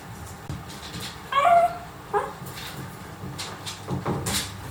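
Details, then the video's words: Dachshund puppies, a brother and sister 22 days old, kept indoors: one thin, high whining cry with clear overtones lasting about a third of a second, then a shorter squeak a moment later, over soft rustling and bedding noise. "くっっっそかわいいダックスの兄妹 生後22日目のあかちゃんの癒し動画はこちら 【子犬の鳴き声】"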